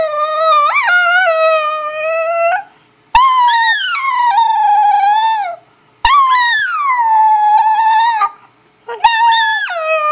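A dog gives a series of drawn-out howls, each rising sharply then gliding down and holding a wavering tone. The howls come in close succession with brief pauses between them, and little else is heard.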